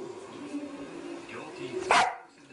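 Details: Dog giving a single soft, short bark near the end after a steady low hum, with a faint murmur of background noise.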